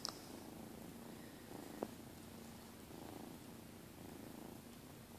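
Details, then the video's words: Pet cats Herman, Zima and Schrodinger lying on the bed, purring. A soft, low, continuous rumbling purr gently swells and fades in a quiet indoor room, with one small click partway through. "Herman Zima and Schrodinger purring on the bed"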